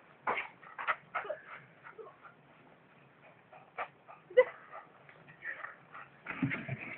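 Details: Beagle giving short, irregular bursts of whimpers and yips, some squeaky and rising, others rougher, spread across several seconds with quiet gaps between them and soft background noise indoors.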